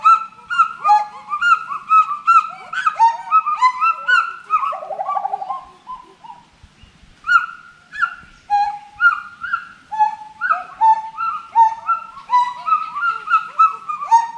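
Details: Forest monkeys in a long calling bout: many overlapping whistled hoots swoop up and down, broken by a wavering trilled phrase and a short pause, then steady repeated level notes resume.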